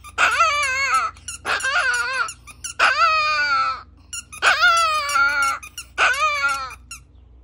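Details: Pet Chihuahua singing: five separate squeaky, whining howls about a second long each, bursting loud then wavering and falling in pitch, with short pauses between them; low background hum throughout.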